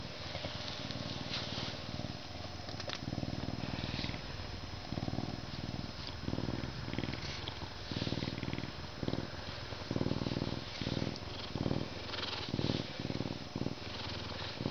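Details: Purring from a humanized male Canada lynx, zoo-born in May 2011, enjoying a scratch before mealtime; deep, rapid throbbing pulses in repeated bursts separated by short pauses, with rubbing and rustling noises.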